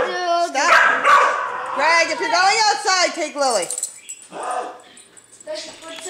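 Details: Female Dachshund guarding her nest from a neighbour's dog, letting out strained, wavering yelps and whines that climb and fall, followed by quieter scattered barks; human voices heard alongside.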